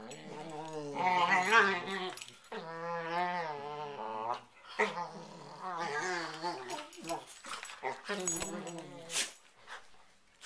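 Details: Nighttime play ritual of two dogs wrestling on a bed before sleep; long, wavering, moaning whines and snarly growls run almost continuously, rising and falling in pitch, with rustling bedding throughout.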